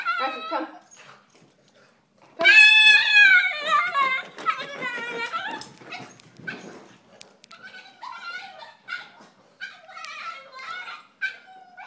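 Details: Jealous female Boston Terrier wanting her turn to play while her owner plays with the other dog: a loud, drawn-out, wavering howl-like vocalization that sounds almost like words, then shorter whiny yowls and a person's voice.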